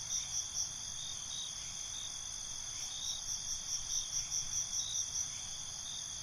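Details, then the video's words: Night crickets: short pulsed chirps at the start, then a longer run of rapid evenly spaced chirps over a steady high-pitched insect drone, with faint low background noise. "Night ambience, Cricket Conversations"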